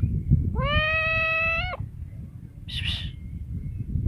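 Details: One long, steady meow from a cat, rising slightly at the start and holding for over a second, followed by a short breathy noise burst over a low rumble.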